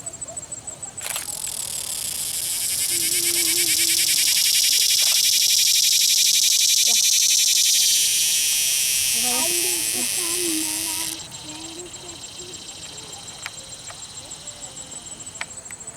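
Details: Captured cicada at Longwood Gardens, Pennsylvania, giving a fuzzy, harsh, high buzzing song that swells over about ten seconds and then cuts off; a steady pulsed insect chorus continues in the background with brief handling sounds.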